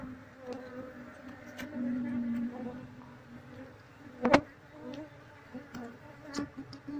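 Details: Honey bee colony being moved into a cardboard box while the queen is sought among the workers: a steady, low droning hum with faint overtones runs throughout, broken by a sharp click near the middle and soft human voices.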